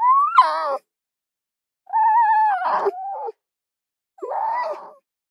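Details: Three harsh fox cries: a rising-then-falling yelp, a longer level wail with a rough burst in the middle, and a final wavering moan, with silence between them.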